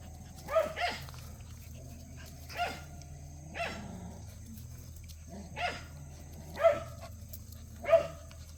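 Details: Cheondori's puppies at play give seven short, high, sharp barks at uneven gaps over about eight seconds, each bright and harmonic-rich, with a steady low hum underneath.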